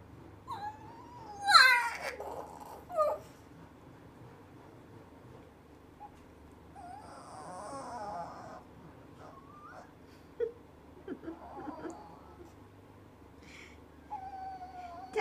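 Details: An 8-month-old Pekingese male up for adoption, said not to bark like a dog, whines in high, wavering tones broken by a few sharp yips.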